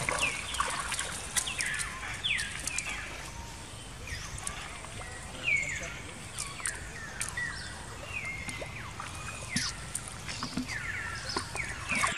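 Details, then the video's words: Crying of baby monkey Jinx, a female, following an attack by another monkey named Spring: a steady series of shrill, downward-sweeping wails with brief gaps, some tapping and rustling nearby. "Poor Baby Monkey Jinx Was Attacking By Spring Monkey, She Crying Seizure"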